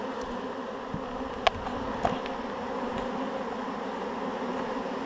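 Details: Shaken honeybee swarm settling into a hive; an unbroken, even buzz of a mass of bees, with a couple of light clicks in the middle.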